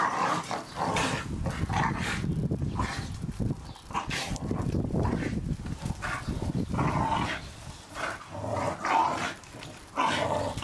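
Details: Several Staffordshire Bull Terriers at play in the garden, destroying a Christmas ball; a steady stream of low growling with brief louder barky bursts, some rustling and scuffling throughout.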